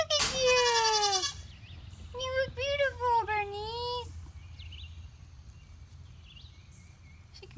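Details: Goat Poundcake, unsure about Bernice's frilly outfit, lets out a loud, drawn-out falling bleat. A pause follows, then a run of shorter quavering bleats ending in a long wavering cry, with a quieter rural background afterward.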